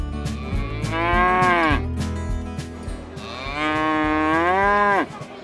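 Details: Cattle at a Brazilian livestock fair and auction give two long, loud harmonic moos, each swelling then dropping in pitch at the end, over a steady low rhythmic music bed.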